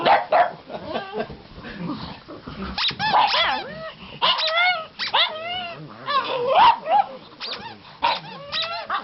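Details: Pugs howling and yelping as a squeaky toy is squeezed, three dogs in the home; bent, sliding howls and short barks tumble over each other amid squeaks and a person talking.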